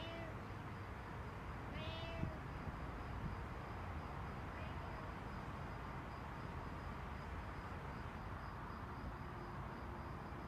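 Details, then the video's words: A cat in a backyard gives two clear, drawn-out meows in the first few seconds, the second bending upward then falling, with a faint third one after; steady broadband background noise runs throughout. "Meowing Cat in My Backyard"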